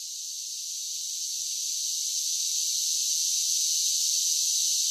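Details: Singing cicadas in summer, the high, rasping continuous buzz gradually growing louder through the stretch and then holding steady, with no other sounds.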